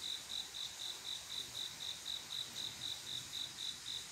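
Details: On a calm summer night a male cricket calls for a mate, producing an even train of shrill chirps about four per second, each chirp short and clear over a steady high insect hum.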